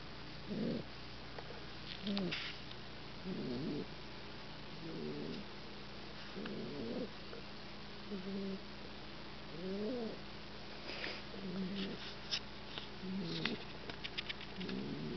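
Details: Newman, an 8-week-old Olde English Bulldogge puppy, snoozing on his first night home: soft rasping snores repeating roughly every one and a half seconds, each a brief rough burst over a steady background hiss, with faint clicks.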